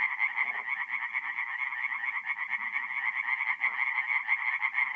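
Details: Many tree frogs calling together after dark at an Italian forest pond in April, a continuous buzzing wall of quick pulsed croaks with a brief dip midway and faint low sounds below.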